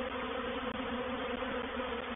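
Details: Reproductive swarm of honey bees moving into a bait hive, or swarm trap, at Painted Peacock Manor on 04/07/21: a dense, continuous roaring buzz of many wingbeats, steady and even throughout.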